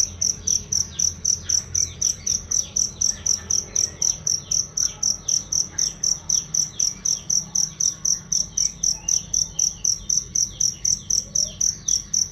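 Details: Cricket used as a master sound for songbirds, clear and loud: a long, even run of sharp high-pitched chirps, roughly four each second, with faint background twitters.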